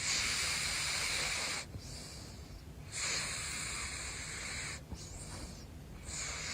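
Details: Big Floppa, a caracal, snoring while asleep: long airy hissing breaths, each lasting one to two seconds, with short quiet pauses between them.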